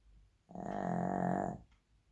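A Shih Tzu gives one long, rattling snore, a buzzy low drone lasting about a second.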